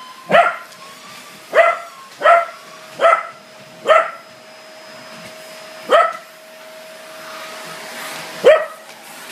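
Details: Angry Corgi barking at a vacuum cleaner indoors: short sharp barks, five in quick succession, then spaced singles, with the motor's continuous hum throughout.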